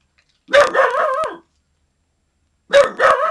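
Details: Little Man, a dog not yet a year old, protecting his yard from someone who should not be there; two long, drawn-out, harmonic barks with a falling, wavering pitch, separated by a silent gap.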